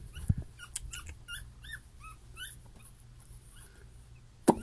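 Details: Puppy, one of a litter of six siblings whose parents are champions, gives a run of short, high, arching whimpers, several in quick succession, then quieter ones, with a sharp thump at the start and end of the clip.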